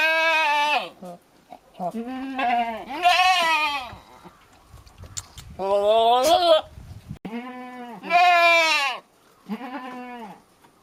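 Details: Male billy goat calling at a nanny goat while courting her: loud, harsh, wavering bleats, each about a second long, with gaps between them. Several bursts rise and fall in pitch and sound strained.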